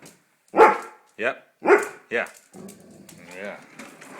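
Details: Golden retriever at home, hungry for its dinner, gives four short, tonal, yelping barks in quick succession over about two seconds, followed by a person talking to it about food.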